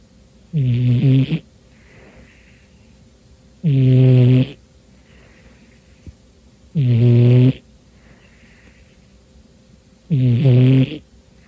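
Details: Domestic cat deep asleep on a dark New Year's Day afternoon, snoring heavily while very tired; four loud, low, rattling snores spaced about three seconds apart, each followed by a faint breathy exhale.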